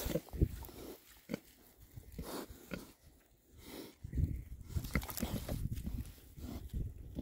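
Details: Six male rare breed Oxford Sandy and Black pigs foraging outdoors in winter between storms; short low grunts and snuffles come in irregular bursts, mixed with rooting and rustling noises.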